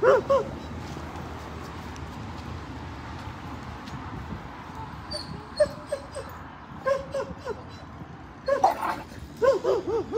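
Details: Siberian Huskies playing and swimming at a lake in a Colorado dog park during a road trip; short, high whining yips and whimpers come in bursts, clustered near the end, over steady low outdoor rumble and scattered broadband noises.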